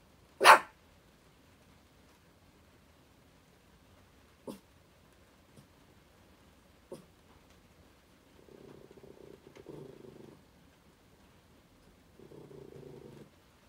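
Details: Indoor pet dog threatening a curtain during spring break: one sharp loud bark, then a few faint huffs, followed by two low rumbling growls of about two seconds and one second.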